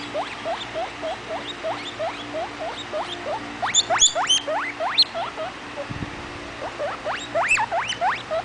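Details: Rapid chains of short rising squeaks from Vitalis, a baby guinea pig, wheeking away; softer stretches alternate with louder bursts of steep upward whistles, plus a brief low thump.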